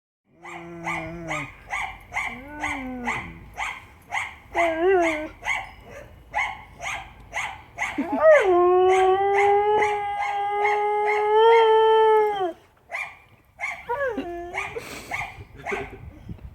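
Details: Siberian Husky howling: several short wavering, yodel-like calls that rise and fall, then one long steady howl held for about four seconds, ending with a few brief falling notes.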